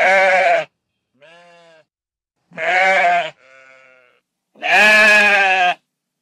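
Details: Series of sheep bleats from a countryside flock, loud quavering cries alternating with softer, thinner answering bleats, each lasting under a second, in an otherwise quiet background.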